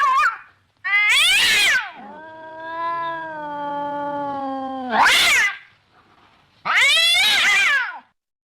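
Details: Cat giving loud, harsh meows separated by a long, steady, drawn-out wail that holds an even tone for about three seconds before more abrupt, rising cries.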